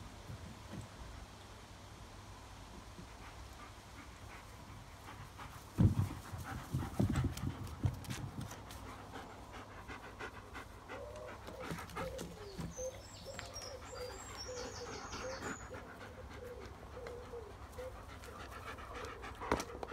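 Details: Pack of German Shepherds, with faint panting breaths, a burst of louder thumping huffs around six to eight seconds, then high chirping birdsong and soft mid-pitched calls in the background.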